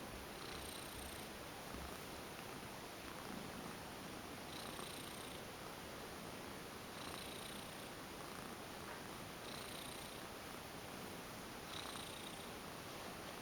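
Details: Former stray female house cat going limp while being massaged indoors, purring continuously; the quiet, even rumble is overlaid by soft rubbing strokes that recur about every two and a half seconds.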